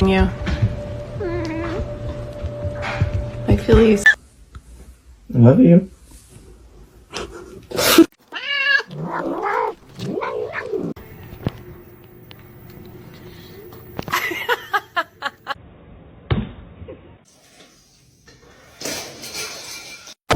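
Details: Domestic cat from a compilation of funny fighting cats, giving drawn-out, wavering meow-like yowls that rise and fall, mostly clustered in the middle of the recording, with human speech and indoor room noises around them.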